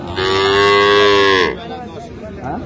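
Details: Cattle market at Raniganj, Dinajpur, 12/6/25, with dairy cows and calves for sale: a loud, steady, rich moo held for over a second before cutting off sharply, followed by softer background voices.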